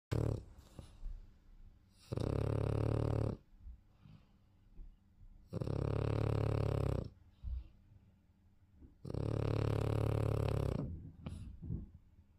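A French Bulldog snores in heavy, rumbling bursts, each lasting about a second and returning every three to four seconds. Between the loud inhalations come quieter snuffling and wheezing breaths.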